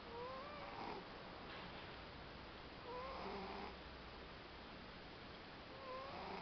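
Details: Chopão, a pet cat, snoring while asleep in Lorena, São Paulo state; soft breathy snores with a thin whistled tone rise and fade roughly every three seconds over a steady background hiss.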